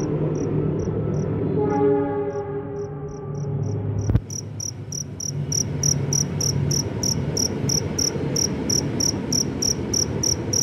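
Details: Cricket roaming after rain to search for a mate, giving short, high pulsed chirps, a few widely spaced at first, then a rapid steady series after a sharp click, over a low rumbling, humming background.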